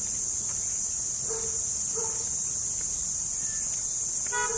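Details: A cricket, locally called kuliglig, keeps up a steady, piercing high-pitched trill that never pauses, with several brief nasal car horn toots now and then behind it.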